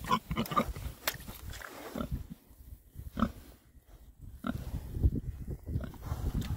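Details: Oxford Sandy and Black pigs, a rare breed, foraging in winter between storms; short low grunts and oinks in bursts, a quieter pause midway, then more grunting and snuffling.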